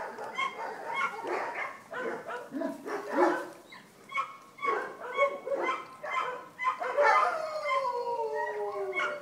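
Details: Several Vizsla puppies at a kennel whining and yipping at once, bursts of short cries and long sliding whimpers that fall in pitch near the end.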